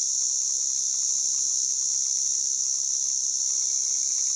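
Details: Unbroken piercing drone from a white drummer cicada (Arunta perulata), high and constant in pitch and volume, over a faint low background hum.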